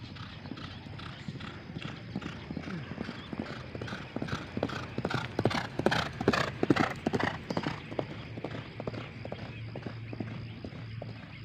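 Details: A racehorse galloping fast during morning training at the H.M. Hasan Gayo track, Takengon, before Derby Gayo 2023; quick drumming hoofbeats swell to a peak near the middle and fade as it passes, with talk in the background.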